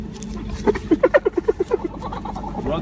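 A hyena calls with about nine rapid, clipped notes, like a stuttering laugh, that climb in pitch and then ease back down. People talk in the background before and after the call.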